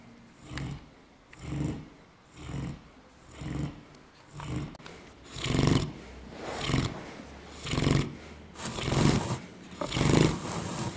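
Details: Sleeping dog named Buddha snoring in a loud, raspy, rumbling rhythm, breaths coming roughly once a second and growing harsher and noisier toward the end.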